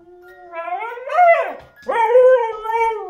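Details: A husky "sings" along with a music box playing Merry Christmas, giving long, wavering howls that rise, bend and fall over the tinkling melody.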